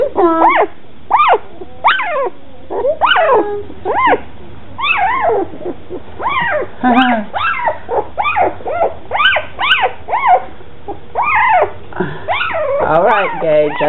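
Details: A litter of red and black standard poodle puppies, two weeks old, Molly and Cooper's second litter, cry almost continuously: dense overlapping high squeals, yelps and whines, each sharply rising then dropping, several per second.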